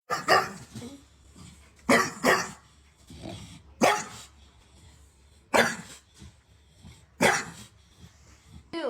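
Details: Dog barking back while arguing with its owner: about six sharp, loud barks, some in quick pairs, spaced one to two seconds apart, with a person talking between them.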